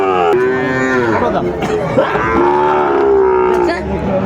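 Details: Sahiwal bull calf at a cattle market in Manikganj, Bangladesh, on 30 December 2024, lowing in a long, steady, slightly wavering moo lasting nearly four seconds, with faint market crowd chatter behind.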